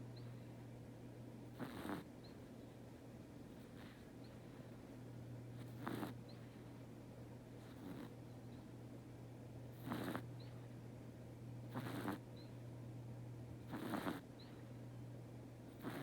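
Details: A sleeping house cat snoring indoors: soft, breathy snore bursts roughly every two seconds, each a brief rasping exhale, over a steady low electrical hum.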